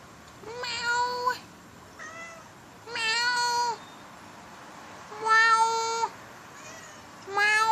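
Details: Domestic cat likened to a howler monkey, giving loud, drawn-out, steady-pitched meows, about four in under eight seconds, each near a second long with rich harmonics, spaced by short quiet gaps indoors.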